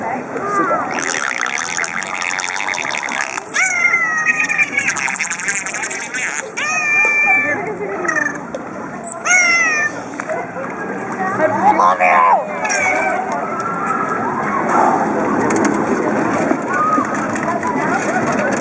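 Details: Dolphins at SeaWorld San Diego calling with clear whistles, some rising and falling in sweeping arcs, others in short buzzy bursts, over steady background chatter and crowd noise.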